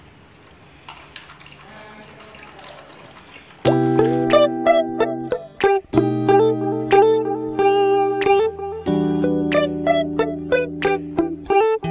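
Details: Quiet hiss and faint tones give way at about four seconds to plucked guitar music with steady struck notes, and no animal voice is heard.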